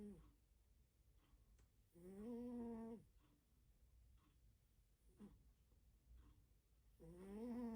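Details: A sleeping cat snores loudly in a quiet room, giving two long, raspy, buzzing breaths several seconds apart, with a faint short snort between them.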